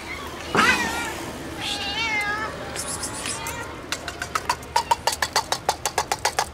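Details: Stray kitten following a man, wanting food: several loud wavering meows, then a quick run of sharp regular clicks or taps toward the end.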